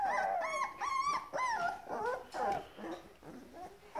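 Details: Grand Basset Griffon Vendéen pups from an O-litter, hungry, on 30-11-2015: a quick run of arched, nasal whines rising then dropping, several in four seconds, with softer whimpers trailing off.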